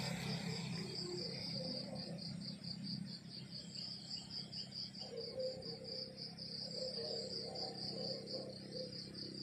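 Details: Rural morning chorus of crickets: shrill, rapidly pulsed chirps sustained throughout, with a gentle wavering mid-pitched hum and quiet low background noise.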